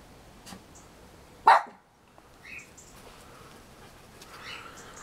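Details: Schnauzer at play gives one short, sharp bark, then the scene falls quiet with only faint background rustles and distant noises.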